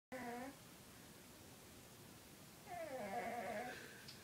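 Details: Lucifer, a 20-pound pet cat, snoring in his sleep: a short tonal, reedy breath, then a longer, louder wheezing breath about two and a half seconds later, with steady buzzy overtones and a quiet room between breaths.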